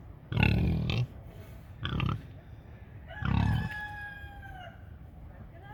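A big pig gives three loud bursts of rough, deep grunting, the last ending in a falling squeal.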